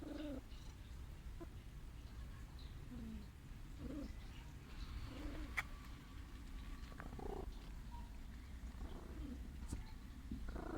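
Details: Sick stray cat purring while seeking affection, a steady low rumble throughout with faint short vocal sounds and scattered clicks and sharp noises over it.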